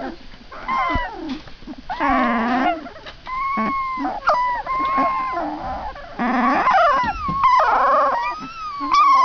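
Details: Several puppies being wrangled together indoors whine and yelp continuously, with overlapping high, wavering cries that rise and fall, some drawn into short howls, with a few sharper yips between them.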